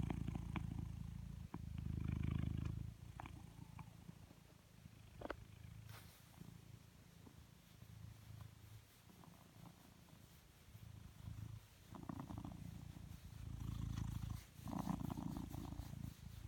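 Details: Being brushed, which it loves, the blue British Shorthair Coconut gives a low, throbbing purr that comes in surges, loudest near the start and end, with brush strokes and a few clicks in between.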